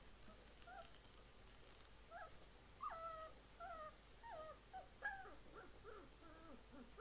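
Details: Siberian Husky; howl; puppy practising its howl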